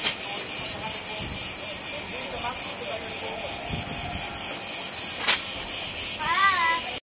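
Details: Cicadas singing on the island of Crete, Greece: a dense, loud, high-pitched hissing buzz pulsing about four times per second without pause, with a brief wavering whistled note near the end.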